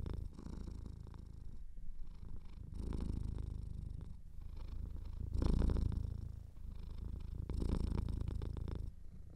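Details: Cat purring with a slightly blocked nose in a quiet room: continuous low vibrating rumble broken into two-second surges by short breathing gaps, one louder surge midway, faint snuffling texture throughout.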